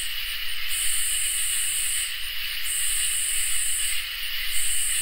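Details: Summer night chorus of crickets and katydids: steady piercing drone overlaid by loud, high buzzing bursts of roughly one and a half seconds separated by short, regular pauses.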